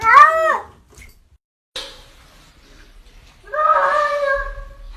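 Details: From a funny talking cats compilation: a short bent meow at the start, a quiet gap with a single tap, then a longer, steadier, slightly wavering meow near the end over faint low background hum.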